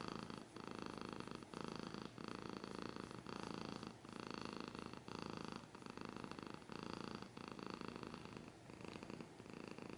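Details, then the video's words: Steady close purr from a house cat: a low, grainy rumble rising and falling with regular breaths about once a second, evenly loud, with little background noise. "Cat's purring / scratching / kinda ASMR"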